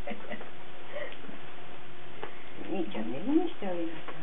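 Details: Young Cardigan Welsh Corgi puppies, 17 March 2008, letting out a burst of high whiny squeaks and short yelps near the end, with faint taps earlier and a continuous background hum.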